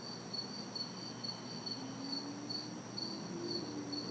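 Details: Crickets and cicadas chorusing on a hot, humid summer night in a city backyard: steady high pulsed chirps repeating about twice a second over a continuous shrill tone, with faint distant traffic hiss below.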